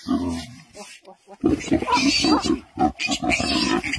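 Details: Wild boar piglet caught by a girl, with a wild pig attacking: a run of short, rough grunting calls after a brief quiet gap, mixed with excited human voices.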